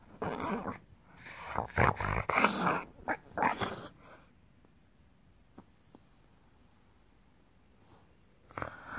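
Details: Belly rub draws a bulldog's rough, throaty growling in dense bursts over the first four seconds, then near quiet before another short grumble at the end.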